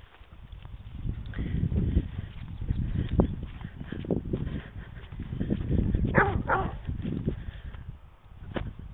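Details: Otterhound Morgan, with a second dog, Oscar, recorded on a mobile phone: deep, booming barks come in rolling bursts over a rumbling low background, with a few sharper, higher yelps near the end.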